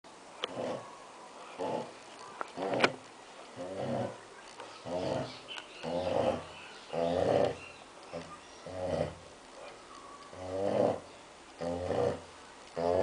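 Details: Six-month-old female Labrador Retriever snoring through a nap after lunch: steady rough, buzzy snores with each breath, about once a second, uneven in strength and spacing, in a quiet room.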